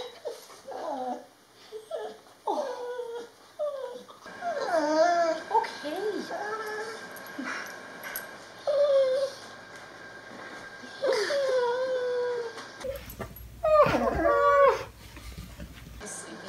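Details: A year-old male Border Collie named Solo greets a weekly visitor he once lived with. Bursts of high, bending whimpers and yelps come between stretches of a woman's excited talking. A louder rustling section falls near the end.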